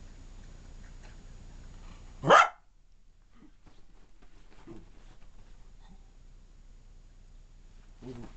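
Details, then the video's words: Female pet dog that loves talking, indoors in a small room; one loud sharp bark near the start, then quiet with a few soft grumbles and a faint low vocal sound at the close. "Wicked the talking and rolling dog"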